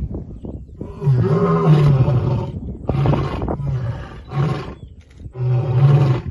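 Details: Three lions of a bachelor group roar together at Simba Kopjes, Serengeti, defending territory: deep rumbling bursts that overlap.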